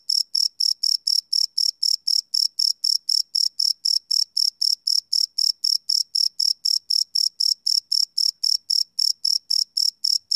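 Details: Live field recording of crickets chirping after dark; a shrill metallic pulse train repeats about four times each second, very uniform in pitch and loudness, alone on a silent background.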